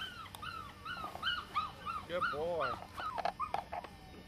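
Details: Seven-week-old female Australian Shepherd puppies yip softly in a quick string of arched, high calls, a few lower drawn-out whimpers mixed in, over background voices and rustle.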